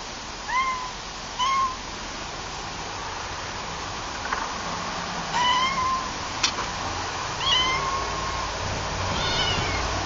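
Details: Cute pet cats meowing: short, clear, tonal mews, sometimes slightly rising or falling, come in small bunches of one or two, roughly four to five times over ten seconds, over a steady hissing background with a faint clack.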